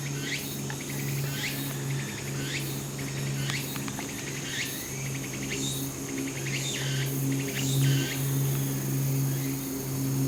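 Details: Walker's cicada singing on a Japanese mountain on 4 September 2016, a day ahead of Typhoon No. 12's landfall: repeated pulsed phrases closing in quick upward sweeps, overlapping and roughly one per second, above a strong continuous low droning hum.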